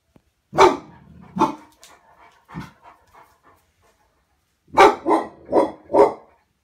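A Cane Corso gives deep, forceful barks, two at first, then a rapid burst of four.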